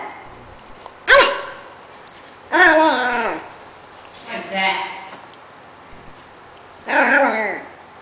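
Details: Lucky, a pet Pomeranian born 07/07/07, making cute, funny noises: four short, tonal whining vocalizations, the first a brief yip, the second bending downward in pitch, spaced a second or two apart against a quiet indoor background.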